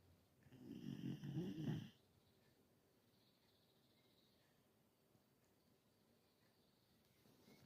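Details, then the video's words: Carlotta, an elderly female Galgo Español whose snoring grows with age, gives one rough, rumbling snore lasting under two seconds, then quiet room hiss, with the next snore starting at the very end. "Galga Carlotta schnarcht"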